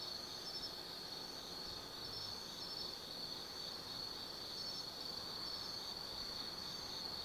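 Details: Autumn night chorus of insects in the Tsukimi Forest above the Nobi Plain, Kaizu, Gifu Prefecture, Japan, seen from a viewpoint 180 m up: steady high trilling bands with pulsing shimmer overlaid, continuous throughout, over faint low background hum.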